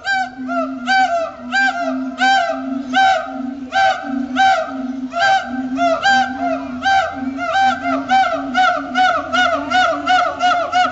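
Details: Siamangs at Riverbanks Zoo, the day after Christmas, marking territory with their duet song: a steady drone of booming hoots overlaid by loud barks repeated more than once per second, speeding up toward the end.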